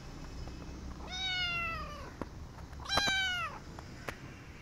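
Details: Rescued kitten indoors giving two drawn-out, harmonic-rich meows about two seconds apart, each sliding downward in pitch at the end; a person speaks softly nearby and faint clicks are heard.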